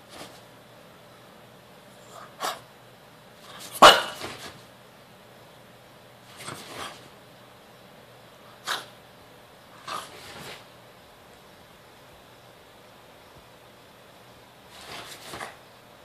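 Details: A female French Bulldog, grumpy about the camera in the morning, gives short snorting grumbles and huffs, spaced irregularly through a quiet room.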